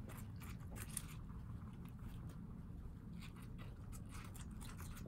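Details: Guinea pigs indoors in New York City feeding on watermelon; short crackly crunches repeat unevenly across a few seconds above a low, steady background drone.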